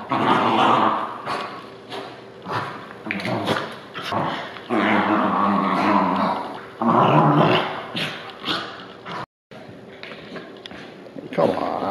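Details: Two Bichon Frise dogs in a post-bath frenzy, a craze that always follows being in water: rough growling comes in repeated bursts, with long sustained stretches near the middle, broken by brief gaps and scuffling noises indoors.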